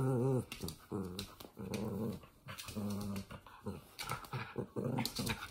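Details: Playful Toy Fox Terrier growling during play: repeated short throaty growls with a clear harmonic rumble, each lasting under a second, coming in quick succession with small gaps.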